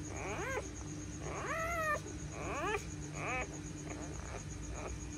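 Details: Home delivery of a female pointer dog giving birth to nine puppies: a run of short, sharply arched squealing whines, five or six in quick succession, fading toward the end against a constant low background hum.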